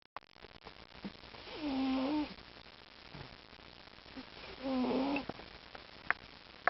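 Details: Mr. T, a domestic cat known for loud purring, snoring and breathing, snores indoors. Two loud rasping, droning snores, each about half a second long and wavering then dipping, come roughly three seconds apart, with small clicks between.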